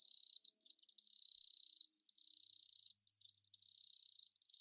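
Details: Long-mouthed cricket, Velarifictous aspersus, giving a steady high buzzing trill in bursts of about a second, with short silent breaks between them.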